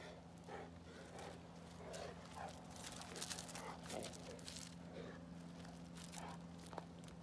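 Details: Two Boerboels, Boss and his son Vados, playing together at night, Boss leading the pecking order: low, rough grunting growls in short bursts roughly every half second, over a steady electrical hum and scuffling noises.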